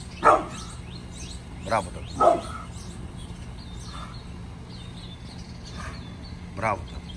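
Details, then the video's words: Bullet, a mad pit bull, gives a morning burst of deep, rough barks: one loud bark, then a quick pair, then a pause and a softer final woof. "Mad Pitbull Barking !!!"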